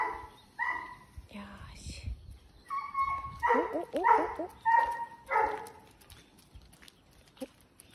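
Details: Pet Doberman Reira, ill with lung cancer, October 2020; a series of short harmonic whines and whimpers, some wavering, mixed with human speech nearby.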